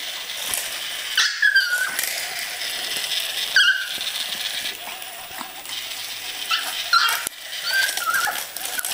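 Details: Indoors, Yorkshire Terriers go after spiders, giving brief high-pitched whines at intervals among scuffling, tapping and sharp clattering sounds.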